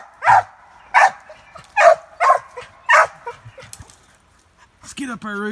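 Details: Cur pup working a caged squirrel in training: a run of sharp, evenly spaced barks roughly every half second, fading out, then a person speaking at the end.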